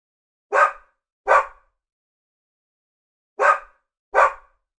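A Labradoodle gives two pairs of short, broad barks separated by a pause.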